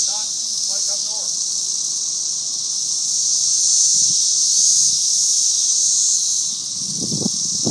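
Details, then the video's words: A swarm of cicadas fills the air with a dense, shrill, unbroken buzzing drone that swells through the middle and eases slightly near the end; a brief voice-like harmonic sound opens and a few low thumps come late. "cicada swarm"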